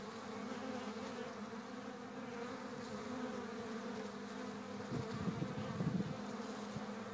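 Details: Hive activity of honey bees in April, a constant buzzing drone with a low hum, joined near the end by a few louder, closer wingbeat buzzes.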